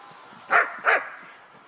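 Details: Guard dog in guarding-exercise training, Ha Tinh, Vietnam, giving a sharp double bark, two loud barks a third of a second apart, over faint background noise.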